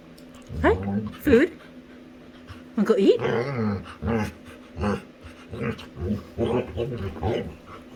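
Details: Pet female Labrador retriever making funny sounds while playing with her human; short rising and falling whiny-growly calls, some pitched and wavering, repeated in bursts, alongside a person's speech.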